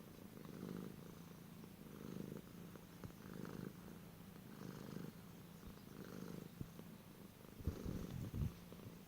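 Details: Purring domestic cat featured among funny cat sounds, a low vibrating drone rising and falling in regular pulses roughly every one and a half seconds, ending with a few louder rough bursts.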